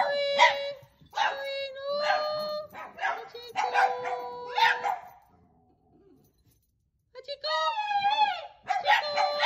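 Dogs howl in long, wavering tones that rise and fall, with a brief silent pause midway.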